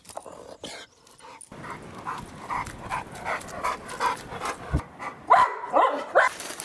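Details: Duke, a heavyweight male American Bulldog, breathes in quick rhythmic pants about twice a second after a brief quiet opening, the breaths growing louder, with a few higher whining notes near the end.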